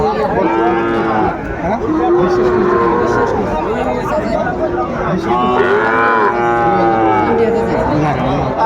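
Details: Sahiwal bull calves at a Chattogram cattle market in Bangladesh on 17 August 2024, being sold to farmers; several loud, drawn-out harmonic moos overlap and repeat, with buyers and sellers talking throughout.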